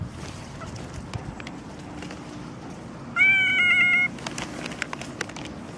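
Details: Pregnant domestic cat after morning rain giving a single clear, steady meow lasting about a second, set against a low background hum and scattered faint clicks.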